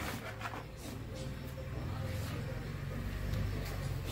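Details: A low vehicle rumble mixes with faint music and distant voices, with no animal sound.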